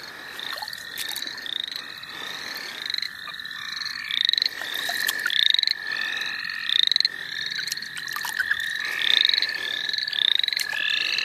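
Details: St. Olaf College Natural Lands frogs calling while people catch them. Sharp, upward-sweeping chirps repeat quickly and dominate over a softer continuous trill, with a few clicks and knocks.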